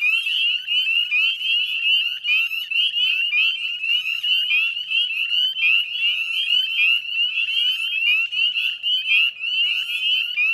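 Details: Northern spring peeper chorus recorded at 9:08 p.m. at dusk in West Chezzetcook, Nova Scotia, Canada, spring 2020; a continuous shrill jingle of overlapping rising peeps, pulsing slightly in loudness, with no other voices standing out.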